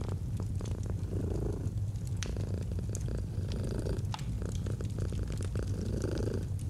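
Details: Domestic cat purring gently in a cozy autumn setting beside a fireplace: a steady low rumble swelling and fading in breathing cycles about every two seconds, with sharp crackles and pops of burning wood throughout.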